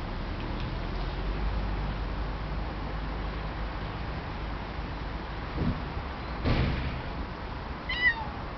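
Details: A domestic cat hissing fearsomely, then meowing plaintively like a small kitten. A short breathy hiss burst is followed about a second and a half later by a thin, falling meow, over quiet low background rumble.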